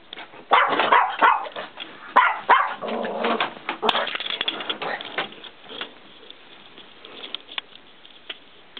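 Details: Small female mini Chihuahuas at a kennel in Kyiv give high, sharp yapping barks in quick bursts.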